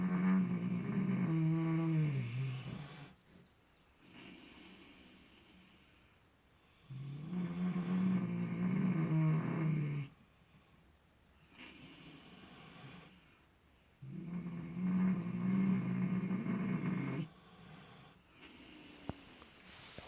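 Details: Two miniature potbellied pigs, Clutch and Penelope, asleep and dreaming in fresh straw, totally relaxed. Three long, deep rumbling snores, each lasting about three seconds, come roughly every seven seconds with quiet breathing pauses between.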